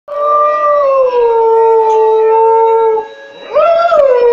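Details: Domestic dog howling along to music: a long sustained tonal howl, slowly falling and holding steady for about three seconds, a short pause, then a second howl that rises sharply and falls away.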